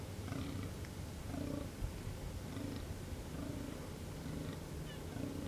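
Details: Fallow deer in rut in the Amsterdamse Waterleidingduinen dunes of the Netherlands. Rhythmic, deep, grunting groans follow one another about once per second, with low rumbling throughout and faint bird chirps behind.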